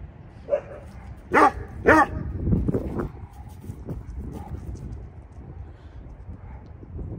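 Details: A rescued Saint Bernard named Vern, who has bone cancer, answers neighbourhood dogs with three quick booming barks in under two seconds, followed by rustling and low background noise.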